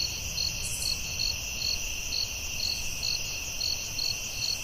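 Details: Crickets in a nighttime forest, shrill and constant, with regular chirps pulsing a little more than twice per second against a soft low rumble.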